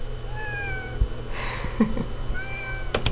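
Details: Kitten stuck behind a door, whining with two drawn-out, thin meows, the first slightly falling and the second level, separated by a burst of noise and a few knocks.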